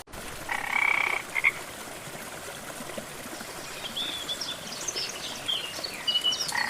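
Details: In a green jungle setting beside a waterfall, a frog utters a harsh pulsed croak of under a second plus a quick follow-up note, then another call begins at the end. Rushing water and scattered faint high chirps sound behind it.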